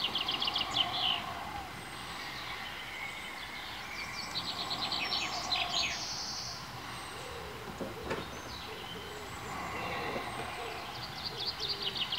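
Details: Four 22-day-old meerkat pups, newly venturing out of their underground burrow, give high, squeaky chirps in quick, uneven runs over a low background rumble.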